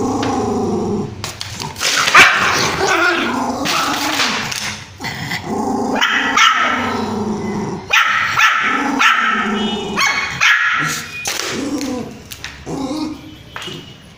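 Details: Angry puppy barking at its owner indoors: a dense run of sharp, yappy barks and growly yips, tightly packed and uneven, with a woman's voice exclaiming nearby.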